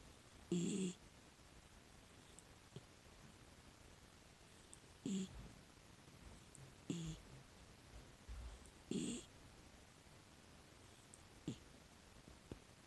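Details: A sleeping miniature dachshund, a rescued six-year-old female, gives soft, uneven snorts and snores at irregular gaps. Some are louder, some barely audible. Faint clicks and small knocks sound between them.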